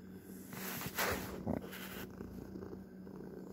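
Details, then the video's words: Pet domestic cat purring close up, a soft low rumbling throb with brief rustling or snorting bursts near the first and second halves of the clip, then steady purring to the end. "Not really ASMR (tho there is purring) My sweet cat"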